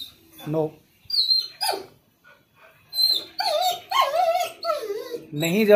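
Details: A German Shepherd and Rottweiler mix, thrilled that it is heading outside to the doctor, whines and yelps in high wavering tones, with a few short barks and a person speaking.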